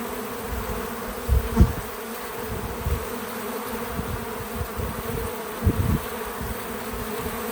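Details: Bees working a feeder outdoors on a small farm, a steady buzzing drone underneath several low thumps and bumps, possibly handling or wind, at about 1.5 and 5.8 seconds.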